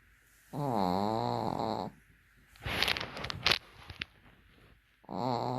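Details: A Pekingese snores with its eyes open, giving a low, buzzy, rattling drone on each breath.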